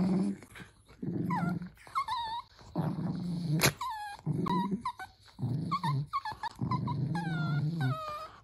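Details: Pet Dachshund alternating low, rumbling growls with high, tonal whines that slide downward, in repeated bouts roughly every second, close and fairly loud indoors.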